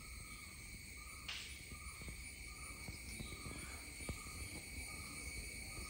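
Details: Indian cicada calling: a steady, unbroken high-pitched drone of several stacked tones running throughout, with a brief noisy burst early on and a faint low rumble beneath.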